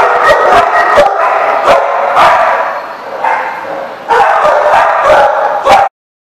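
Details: Barking dogs recorded 7/11/14 at The Barking Lot: rapid, overlapping yaps and barks in quick bursts, a brief dip in intensity midway, then a loud renewed flurry before it stops abruptly.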